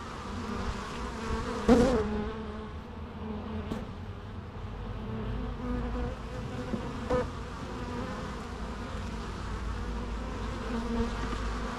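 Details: Natural buzzing of bees, a constant low hum broken by a sharp, close fly-by early on and a few faint clicks, then settling back into an even drone.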